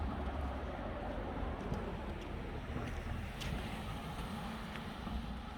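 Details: Outdoor wind and rumbling background noise, like a boat or passing traffic, with no animal calls heard.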